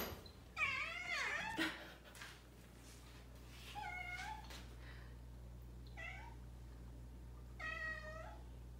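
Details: Domestic cats indoors greeting their keeper as she comes out of the bathroom, after waiting outside the door; several clear, rising-falling harmonic meows at uneven intervals, with a low steady household hum beneath.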